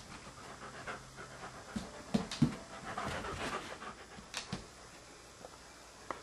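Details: Standard Poodle indoors, afraid to go into the bedroom to fetch his beloved ball, the floor apparently too slippery; quick, uneven breathy panting with a few soft knocks.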